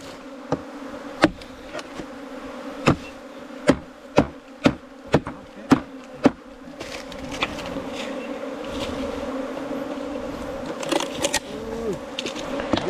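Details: Honey bees from a nest in a 4-metre bamboo stem keep up a steady buzzing drone. A run of sharp, regular knocks sounds in the first half, followed by rustling and handling noise.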